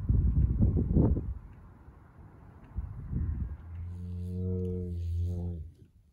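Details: Loud, echoing moo from a bull on a farm: a deep, steady drawn-out bellow of about two seconds rising slightly at the end, preceded by low rumbling handling and movement noise.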